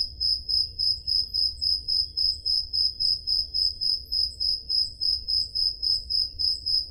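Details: Crickets chirping on a summer night in Peloponnese, Greece, captured on a Zoom H5 portable recorder: a steady high-pitched pulsed trill, about three and a half chirps per second, regular and unbroken, over a faint low hum.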